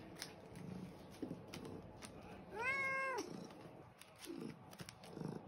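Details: A fat white fluffy pet cat, impatient for his breakfast, lets out one clear, sustained meow midway, flanked by a woman's soft voice asking what he wants and faint household rustling.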